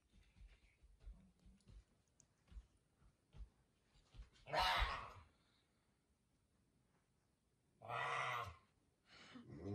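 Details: Pet puma Messi at home in the morning, waking his owner: after quiet rustling, two loud, harsh, rasping calls about three seconds apart, each lasting around half a second, in an indoor room.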